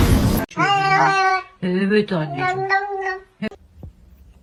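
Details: Cat in a funny pets meme compilation yowling in a string of about four long, wavering, low-pitched meows, each rich in harmonics, following a short burst of noise at the start.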